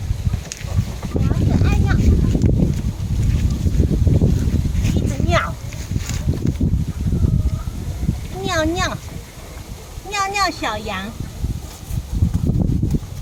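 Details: Pippo, a little goat kid, lets out several quavering, wavering bleats in quick succession toward the end, while people talk and laugh loudly nearby outdoors with some wind rumble.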